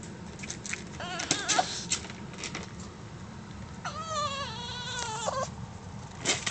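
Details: Pet dog teased into crying, its sound likened to a human baby's: a drawn-out wavering whine that rises then holds, heard over earlier short squeaky yelps, steady background hiss and a brief yelp at the end.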